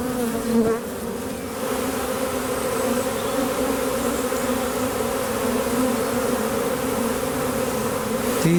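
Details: A western honey bee swarm, the year's first, on May 9 2023, congregating in a tree and being rehomed into a skep, gives a continuous, even low drone rich with layered harmonics, with faint other noises near start and end.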